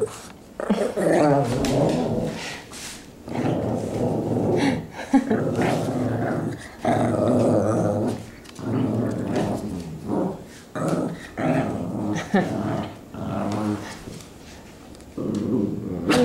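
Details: Two Shih Tzus wrestling indoors, rescue dogs: repeated low rumbling growls in bursts of one to two seconds, broken by short pauses, with a woman talking to them at times.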